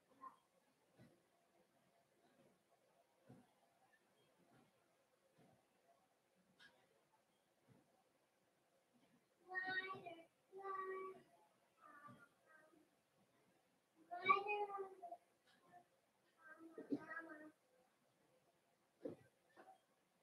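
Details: Cavalier King Charles Spaniel puppies in an indoor puppy pen, being socialized with several older big dogs. Quiet at first, then bursts of high, wavering whines and yelps, repeated several times, with faint thumps between.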